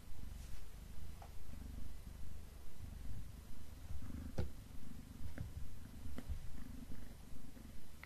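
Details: Black domestic cat eating beef snacks indoors, purring steadily in a deep low rumble that pulses about twice a second, with occasional soft chewing clicks.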